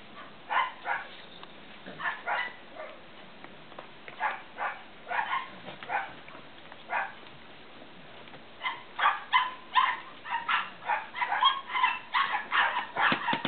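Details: Cavalier King Charles Spaniel puppies from Danny and Daisy II, one getting sleepy, giving separate short yips every second or so, building into a fast overlapping chorus of squeaky barks.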